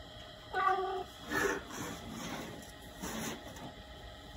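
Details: A 2-year-old male Maine Coon cat gives a clear, drawn-out meow, then a shorter one and softer follow-up calls.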